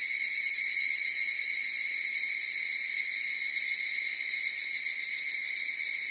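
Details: Higurashi cicada chorus: layered shrill tones vibrating quickly, slightly louder at the start then easing to a steady drone, with a quiet background.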